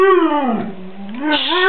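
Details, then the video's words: An 11-month-old white Siberian Husky, a vocal dog that hardly barks, 'arguing' with its owner: a long harmonic howl-like yodel that dips low in the middle and rises again, with a person hushing it nearby. "Our 11 month White Siberian Husky "Blizzard" arguing with me"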